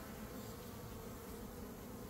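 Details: A brief, thick burst of humming from a honey bee swarm during capture, just after the queen was found and caged. The low, continuous drone holds a constant level.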